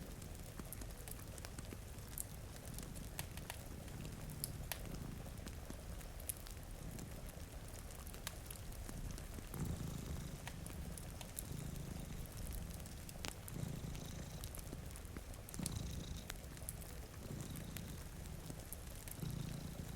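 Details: Two sleeping cats by a rain-streaked window purr in soft, low rumbling waves that swell and fade, mixed with constant rainfall and frequent crackling from a nearby fireplace.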